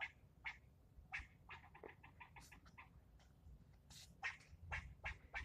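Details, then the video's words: A male squirrel scolding a person for nearly ten minutes: quick runs of short harsh barks, some sharp and raspy, others lower chucks, bunched in rapid bursts with brief pauses, over faint low background rumble. "Getting yelled at by a squirrel"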